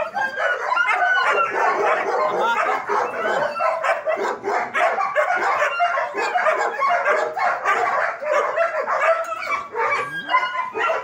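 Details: German Shepherds at a dog training academy barking together, a dense, nonstop overlapping chorus of sharp barks and yips from many dogs, with no pause across eleven seconds.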